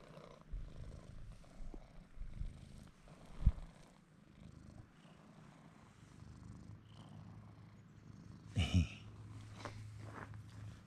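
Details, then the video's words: Bruce, a pet cat, purring as he rubs against a man's legs; a low continuous rumble with a few sharp knocks and a brief louder rustle near the end. "Following Bruce while he purrs and pets the man’s legs"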